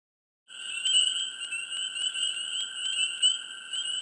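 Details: Dense chorus of many frogs in a swamp in mid spring, starting after a half-second of silence: steady high piping trills in layered bands, with sharp clicking notes scattered throughout and no gaps.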